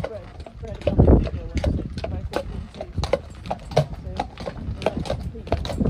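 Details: Shire horse from Dyfed pulling a ride-on cart: uneven hoof clops ring out on a hard surface while people talk loudly over them, with a low rumbling background.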